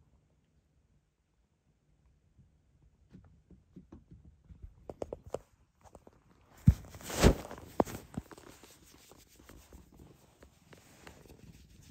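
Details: Indoor footsteps, soft rustling and handling noises build to a loud scraping, tearing burst midway, then quieter shuffling, with no animal voice.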